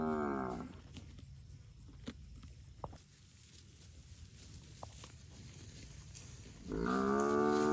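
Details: Healthy fat village cattle in a rice field herd; one moo at the start and another rising, harmonic low at the end, separated by a quiet stretch of faint clicks and rustle.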